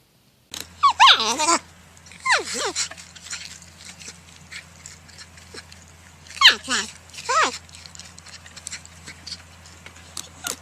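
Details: A porcupine gives short, high squeals that slide steeply downward in pitch, in bursts separated by quiet pauses, with a steady low hum underneath.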